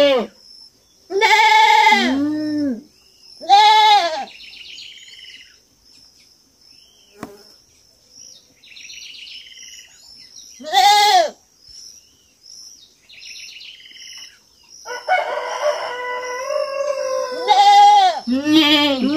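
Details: Kid goat at a farm bleating repeatedly in loud quavering bursts, some doubled, with another overlapping animal call near the end, bird chirps and a steady high insect hum behind.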